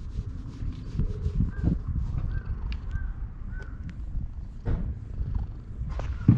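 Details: Purring stray cat being petted while sunbathing at a shrine in Japan, GoPro HERO8 recording; deep rumble underneath, with four short arched chirps from a bird in the background and a sharp knock at the end.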